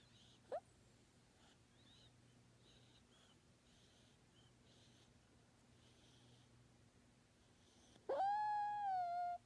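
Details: A sleeping kitten gives a brief squeak, then a clear, high, drawn-out mew that rises and holds steady.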